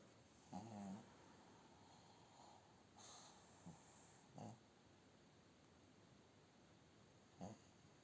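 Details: A sleeping female pug, lying in bed with her owner, snores in short, rumbling snorts spaced a second or two apart.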